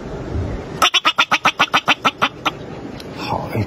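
A bobak marmot gives a quick burst of sharp, harsh chirps while begging for food.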